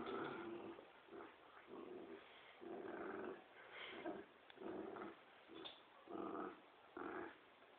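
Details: Dogs, a Poodle and a Dobermann, playing tug of war: a run of low, rough growls in short bursts, roughly one every half to one second, with brief gaps between.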